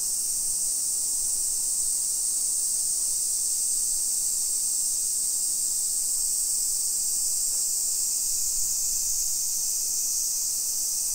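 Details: Dense summer cicada chorus filling a hillside residential area of Nisshin, about 20 km from downtown Nagoya, Japan, 1 PM, 28 July 2021: an intense, unwavering high-pitched buzzing hiss, steady in loudness, with little else audible.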